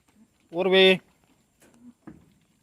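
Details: Tellicherry goat kept on a farm gives a single bright, steady bleat lasting about half a second, rich in harmonics, followed by quiet murmurs and faint background sounds.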